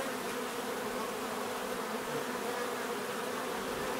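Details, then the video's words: Dense bee buzzing forms a thick, uniform drone with a broad hiss reaching high frequencies; the swarm-like hum stays level throughout. "bees therapy relaxing natural buzzing sound"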